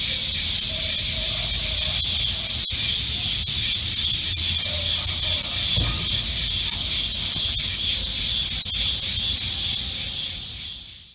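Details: Cicada chorus from a summer iPhone recording: a loud, sizzling high buzz with rapid rhythmic pulses, roughly two and a half per second, holding steady before fading out abruptly at the end.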